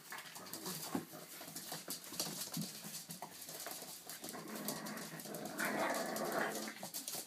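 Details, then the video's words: Boston Terrier puppies playing and attacking together indoors, their target called wabas; soft growls, whimpers and grunts come in quick uneven bursts, with scuffling and rustling throughout and a brighter sustained whine near the end. "Attack of the Baby Bostons"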